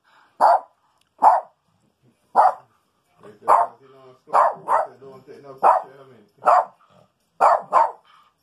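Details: Maltese dog named Rico searches a house for a stinky skunk on a rainy day, giving short sharp barks, singly and in pairs, a few seconds apart, with faint voices murmuring between barks.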